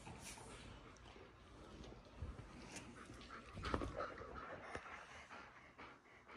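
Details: Pet dogs at home, one called Nova, interrupt someone trying to relax and watch a TV show. Soft, rapid panting runs throughout, and a brief high whine rises midway, over quiet room noise.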